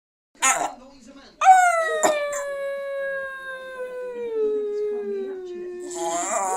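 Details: Pet dog giving one long, drawn-out howl, a clear tone that starts high and glides slowly downward for about five seconds, with a short sharp yelp just before it and a brief noise at the end.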